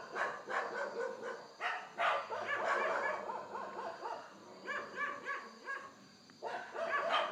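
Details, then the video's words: Indian wild boar in India, filmed in low light on a Canon Handycam, giving dense bursts of harsh, harmonic squealing grunts that overlap almost continuously, with brief pauses near the middle and end. "Indian Wild Boar/hog/pig."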